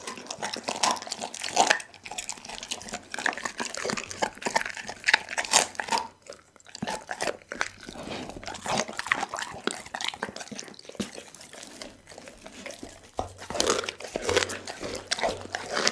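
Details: A pit bull named Dougie devours a whole chicken in a small room, giving crisp crunching bites and wet chewing in irregular runs, with a brief quiet pause near the middle.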